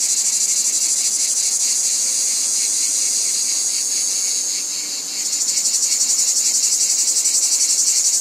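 A dense chorus of cicadas makes a shrill, sizzling buzz that pulses rapidly and never stops. Partway through, the tone shifts slightly higher and the pulsing grows stronger.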